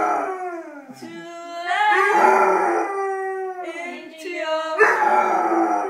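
A Basset Hound howls along to music in long, wavering, mournful notes that rise and fall.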